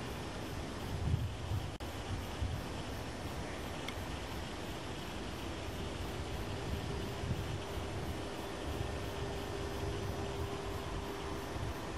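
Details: Low, steady vehicle or train rumble throughout, with no animal calls heard.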